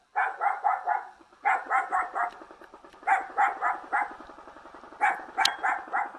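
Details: A young dog from a mountain village near Jeonju in North Jeolla Province, Korea, gives a long run of fast, evenly spaced barks, about four per second, in groups separated by brief pauses.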